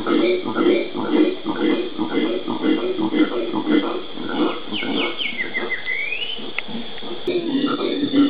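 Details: Howler monkeys (genus Alouatta) in the Pantanal, Brazil, recorded 13 January 2011: deep, hoarse grunting pulses repeated about twice a second, with a bird's whistled, rising sweep partway through.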